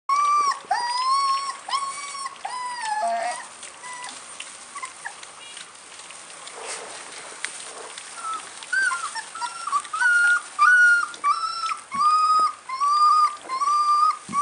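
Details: American bulldog puppies whining: high, drawn-out whimpers with bright overtones, repeated in irregular bursts, some rising then falling, with a quieter stretch midway before the whines return steadily.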